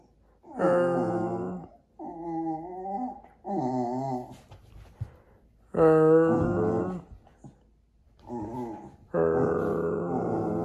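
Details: A Jack Russell Terrier 'talking' to its owners indoors: a run of six moaning, wavering harmonic vocalizations, some warbling in pitch, each one to two seconds long with short gaps between them.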